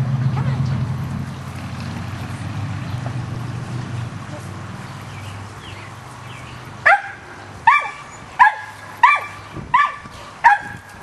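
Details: Rat Terriers hunting squirrels outdoors: after several seconds of rumbling noise, a dog gives six sharp, evenly spaced barks, one every half second or so, each with a bright, ringing top.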